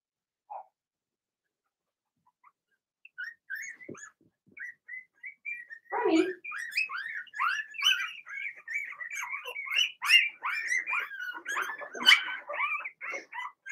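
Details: Several Blenheim Cavalier King Charles Spaniel puppies in the puppy pen start with scattered thin squeaks, then break into a dense, continuous chorus of high, wavering whines and yelps that overlap and swell in loudness.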